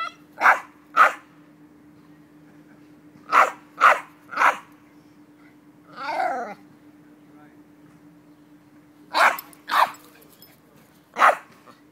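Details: Jack Russell Terrier going nuts at a squirrel: clusters of short sharp barks in twos and threes with pauses between, one wavering whine in the middle, steady hum in the background.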